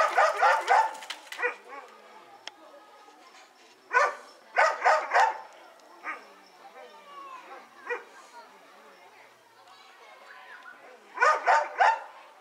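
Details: Doberman Pinscher, eager and lively during play and exercise, barking in bursts of several sharp, quick barks at the start, around four to five seconds and again near the end, with softer yips and whines between and human voices.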